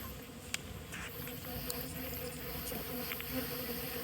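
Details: Stingless bees at a hive during honey harvesting, as pollen is scraped from a tilted coconut-shell nest; a faint, steady low hum runs throughout, with scattered clicks and taps from the handling.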